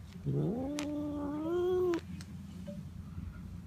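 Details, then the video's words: Pet male cat calling when stroked: one sustained, gradually rising moaning yowl about a second and a half long, ending abruptly, in a quiet indoor room. "makes sounds when I pet him"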